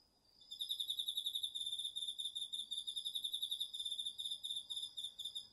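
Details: Crickets among autumn insects chorusing at night in a home garden field in Japan, recorded on a DR-40X: rapid high pulsed chirp trains repeating steadily over a continuous thin high trill from another insect, with no other sounds.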